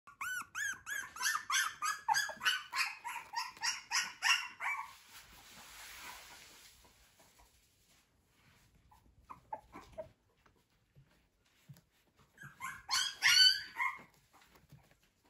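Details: Fluffy male Chow Chow puppy indoors giving a quick run of high, whiny yelps and whimpers for about five seconds, a quiet stretch with faint scattered noises, then a shorter burst of squeaky whines near the end.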